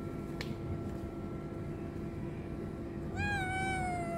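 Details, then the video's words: Hungry homeless kitten outdoors, with a strong male cat nearby; one clear, slightly falling meow near the end over steady low traffic-like rumble. "Hungry Homeless kitten is attacked by a strong male cat"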